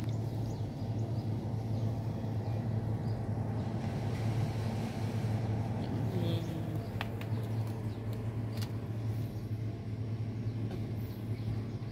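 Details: Steady low rumble and hum of traffic or machinery with faint clicks and knocks; no animal voice is heard.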